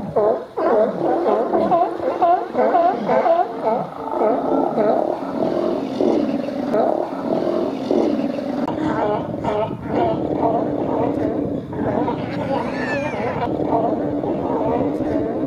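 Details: In Cowichan Bay, British Columbia, sea lions feeding on autumn spawning salmon keep up a dense, rasping bark chorus at about two calls per second, blurred by overlapping voices and a steady background rumble.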